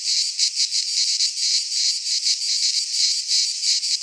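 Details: Cicadas from Greek fauna in a pine forest at midsummer, their shrill buzz forming an unbroken wall of sound with rhythmic surges about three times each second.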